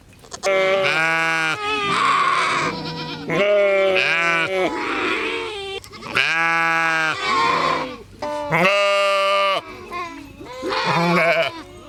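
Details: Sheep giving a run of loud bleats, some long and wavering, some shorter and harsher, following each other closely with brief pauses, possibly more than one animal calling.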